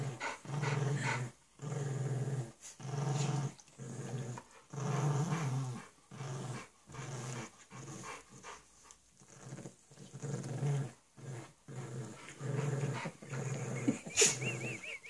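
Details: Bulldog puppy and pug playing together, giving low rumbling growls in bursts of about one to two seconds separated by short pauses, with panting breaths between and a sharp click near the end.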